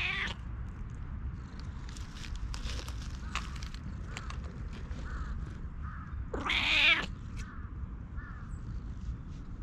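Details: A stray cat met in a forest, affectionate and eager to be stroked, meows: a short call at the start, then a louder, strained, rising-falling meow near the end, with faint rustling and low background hum.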